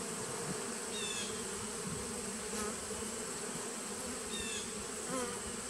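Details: Hum of a honey bee nucleus colony from 2017, recorded in September 2018, an unbroken even drone with a few faint short chirps scattered over the tone and a constant high hiss above.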